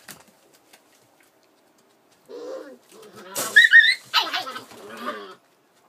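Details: Collie puppy aged 47 days, recorded 4 July 2013, after a quiet start breaks into a run of squeaky yelps and whines, some sharp and high, others lower and nasal, lasting about three seconds.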